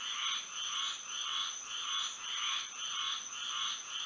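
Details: Florida frogs at night by moonlight, a steady run of about eight swelling croaks spaced around half a second apart, each with a bright upper layer, and a constant thin high tone behind them.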